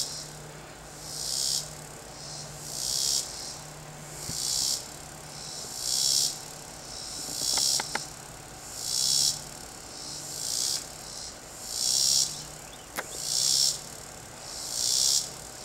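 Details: A single cicada sings from a garden tree in loud, hissing buzzes that swell and fade about every second and a half, with some background noise.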